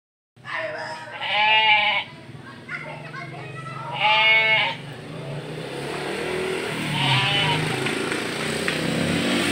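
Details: Batur sheep, young stock being shipped to a partner farm in Indonesia, give two loud nasal bleats about two seconds apart, then a fainter third, over steady engine hum and voices.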